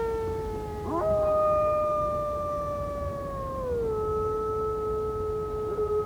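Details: Howling wolf: a pure, level tone held for nearly three seconds, sliding down to a lower pitch that is held to the end, with a fainter second voice and background hiss.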